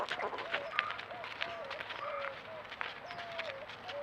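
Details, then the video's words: Javelina babies making cute noises: a run of short, wavering, mid-pitched squealing calls, several bending up or down, repeated about every half second, mixed with sharp clicks and rustling. "Javelina baby making cute noises"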